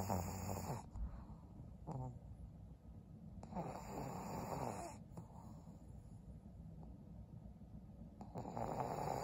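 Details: Maria, a 12-year-old fawn female senior pug in Japan, snoring in December: rasping, fluttering breaths rise in broad noisy bursts roughly every one to three seconds, with quieter rumbling between them indoors.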